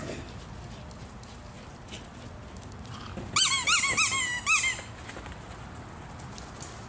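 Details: Naples, a rescued foster pup from a hoarding situation, barks while playing ball indoors with another dog: a quick burst of high, squeaky yips with curving pitch over about a second and a half, then quiet.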